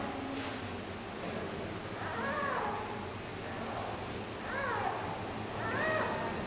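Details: Giant panda cub Yuan Zai, a 39-day-old female over 1700 g, fussing and crying at the zoo when reunited with her mother Yuan Yuan. Three arched, wavering squeals, each about a second long and spaced a few seconds apart, over a soft steady background hiss.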